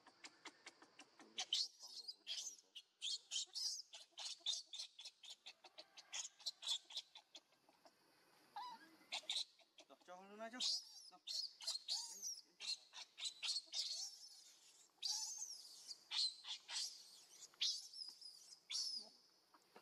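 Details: Baby monkey Leo crying and begging its mother for milk: a dense run of shrill, high screeching squeals in rapid bursts, with one rising, wavering harmonic wail near the middle, continuing almost without pause.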